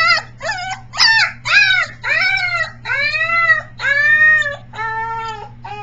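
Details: Briard pup aged three weeks rehearsing howls, July 15, 2009, sometimes resembling a peacock: quick choppy yelps grow into longer, steadier wailing notes that sag then level off, ten or so in sequence, over a faint background hum.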